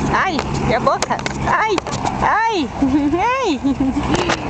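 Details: One-month-old Jack Russell Terrier puppies, born 27 October 2010 to Yeti Romany Storm and Romany Rio, giving a run of short arched whimpers and yips, rising then falling, several in quick succession over background noise.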